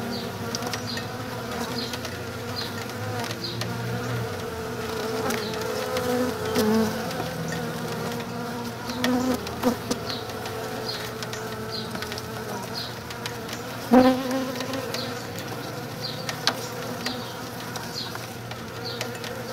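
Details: Western honey bees (Apis mellifera) swarm over comb scented with lemongrass oil inside a shipping box, a dense, steady drone of many bees buzzing together with a few sharp knocks.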